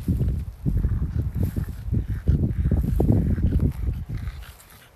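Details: On a garden plot, French Bulldog Oleg munches strawberries with a steady run of deep, rough snorting grunts, fast and uneven, fading out near the end.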